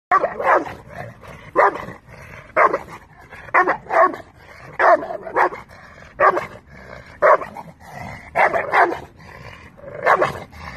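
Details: Working American Bulldog barking steadily, loud broad barks roughly once a second, some in quick doubles, continuing through the whole stretch with brief pauses between.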